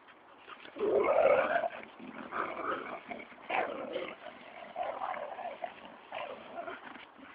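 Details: Two dogs chase each other around and around through the woods to get a ball back: Murphy, a springer spaniel, and Teasel, a German short-haired pointer. Rough, throaty growls and huffs come in irregular bursts, loudest near the start.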